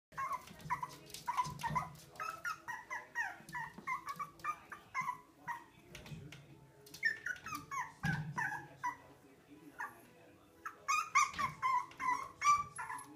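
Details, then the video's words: Winston Churchill, a Pomeranian puppy, indoors in a small room, wanting to play with his own reflection in a mirror: a long run of short, high whimpering yelps in quick bursts, with a woman's voice urging him to say hi to the puppy. "Pomeranian Puppy discovers himself in the mirror"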